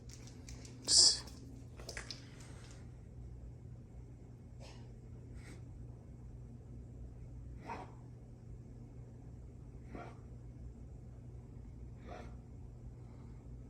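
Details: A Weimaraner gives harsh, breathy coughs, one loud burst followed by softer hacks every two seconds or so, described as coughing weirdly.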